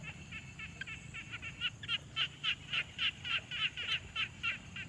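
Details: Pond frog on a quiet night-style ambience, Tascam Portacapture X6 recording: a regular train of bright, rattling pulsed calls, roughly three to four per second, growing louder after the first second against a faint low rumble.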